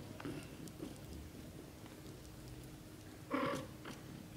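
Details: Young British shorthair kitten, under 30 days old, giving one short high mew with bright harmonics after soft scuffling and quiet low purring. The call is brief and rises then falls.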